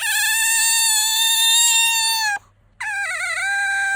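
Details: A pet otter named Bingo, seeking attention or sleepy, gives a loud, piercing, sustained squeal for over two seconds, pauses, then returns with a wobbling, trilling whine.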